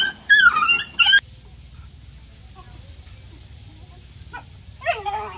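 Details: Puppies at play give two loud, rising-and-falling whiny yips near the start, then a long hush with soft faint squeaks, and a wavering, descending whimper at the end.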